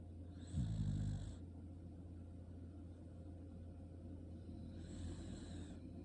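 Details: Sleeping Shiba Inu gives one clear, low, rasping snore near the start, then softer breathing and a faint second snore later, over a constant low hum.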